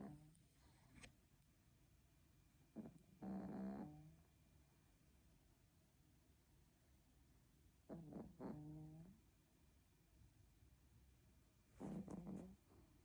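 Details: Sick Spitz dog snoring softly indoors: three low, rasping, buzzy snores spaced about four to five seconds apart, with quiet breathing between them.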